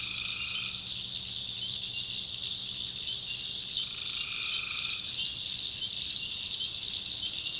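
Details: Swamp at night in the backwoods of North Carolina, tree frogs calling. Short steady tonal calls, under a second to about a second long, come twice, then a weaker third, all set against a constant shrill chorus.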